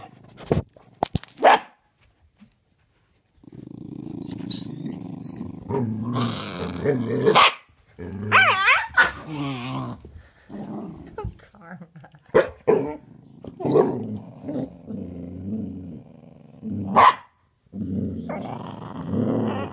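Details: Pet dogs during a hide-and-seek game, a corgi named Karma and a pitbull named Thor, one hidden under a bed: long low rumbling growls broken by sharp yelping barks, with a person talking softly and laughing between them.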